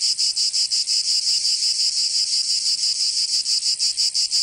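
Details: Provençal summer cicadas in southern France produce a loud, sizzling high buzz in rhythmic surges, around thirteen pulses in under five seconds, with no other voices.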